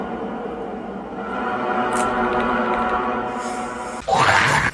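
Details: Dark, droning music with layered tones fills the whole stretch, ending in a brief louder burst; no animal sound stands out.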